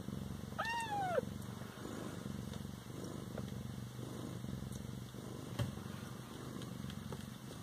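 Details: Siamese cat at home with a brief descending meow near the start, followed by a long, steady, low rumbling purr.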